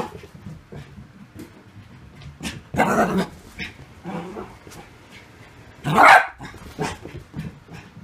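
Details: Bichon Frise dog giving two loud, harsh bark bursts about three seconds apart, with softer short yips and whimpery sounds scattered between them over quiet background noise.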